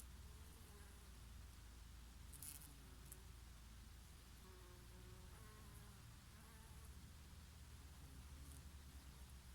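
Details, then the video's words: Bees feeding on oregano, their favourite flower, in the summer breeze: an even, low-pitched drone with faint passing buzz tones that bend slightly in pitch, steady in loudness throughout. "Peaceful sound of the summer breeze and of the Bees and here and there a bumblebee"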